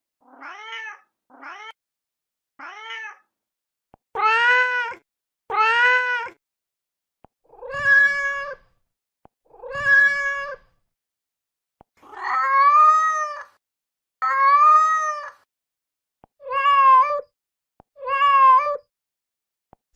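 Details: A mother cat calls for her kittens with about a dozen meows, the first few soft and short, later ones louder, drawn-out and wavering, coming every one to two seconds in a quiet room.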